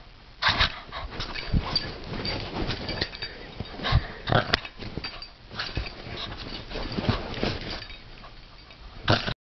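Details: Zoe, a Bugg dog, playing tug of war and growling without meaning harm: gruff staccato bursts with brief pauses, ending in a last sharp outburst.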